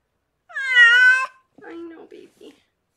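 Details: Rescued pregnant cat Harlequin, delivering six kittens in foster care indoors, lets out one strong drawn-out meow lasting under a second, followed by soft human speech.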